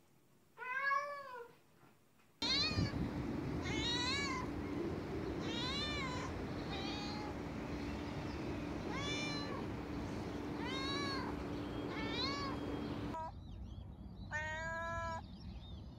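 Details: Cat (Felis catus), meows: showing affection or playfulness, a sign of trust.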